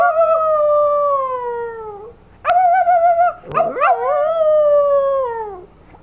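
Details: Paris, a female puppy of almost 11 months, howls while imitating a person's howl: long sliding tones that slowly fall in pitch, broken by a short pause and a wavering restart, then another long descending howl.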